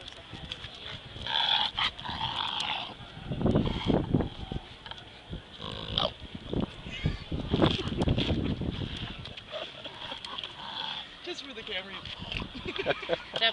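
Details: Bulldog with respiratory issues after a walk on the beach, making funny noises: rough snorting, wheezy breaths in irregular bursts, with a steady high whine running throughout.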